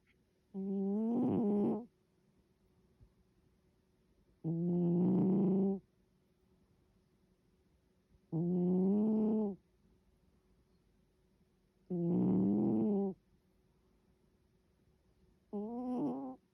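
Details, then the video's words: Sleeping cat snoring: five rasping, harmonic breaths about every 3.5 seconds, each roughly a second long with a slightly rising tone, over a quiet background. "고양이 코골이"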